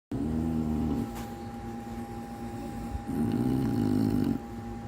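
An English bulldog snores in deep, rumbling breaths with a steady electrical hum underneath.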